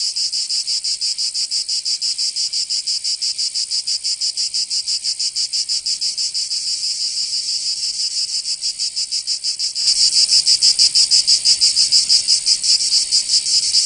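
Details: Cicadas calling in summer in Provence, southern France: a rapid pulsing high buzz, roughly six beats a second, that suddenly swells louder and denser near the end as more insects join.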